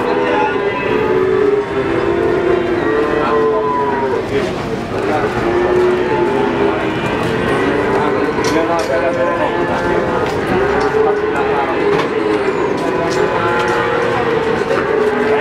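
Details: Many cattle calling at the Pon livestock market in Ambarawa, Semarang, Indonesia, just before 2021; long, steady lowing tones layer and overlap throughout, over a constant background of crowd voices and market noise.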